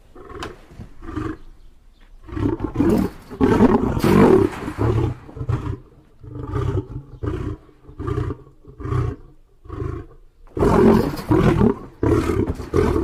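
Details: Lion delivering full, throaty roars that swell and overlap, then break into a run of shorter rhythmic grunts, with a final strong roar surge and more grunts trailing off.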